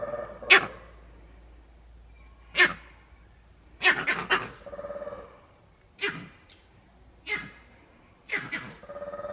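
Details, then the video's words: Captive male green monkey at Novosibirsk Zoo, 13 June 2023, the troop leader's danger cry: six abrupt, explosive barks, some doubled, spaced one to two seconds apart, with faint human voices between them. "Зелёные мартышки. Крик самца"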